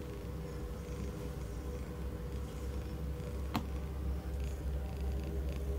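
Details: Domestic cat awaiting rehoming at a rehoming centre in Cambridge, purring close up: a deep, steady, throbbing rumble of about three pulses per second, with a single sharp click midway.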